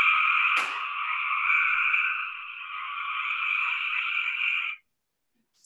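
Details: Cope's gray tree frog from Georgia with its trilly, belch-like call: one long continuous buzzy trill lasting nearly five seconds, a sharp click near the start, then silence and a knock at the end.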